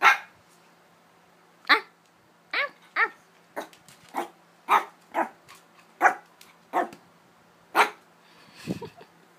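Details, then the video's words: Three-month-old Shih Tzu puppy barking indoors: sharp, high yappy barks come singly and in pairs at uneven intervals, about a dozen in all. A low whining yelp comes near the end, over a faint steady hum. "Cute shih tzu barking"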